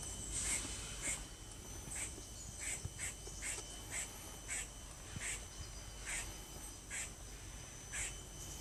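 A squirrel gives about a dozen sharp, bird-like chucks, roughly one per second, over a steady faint whine and low background rumble.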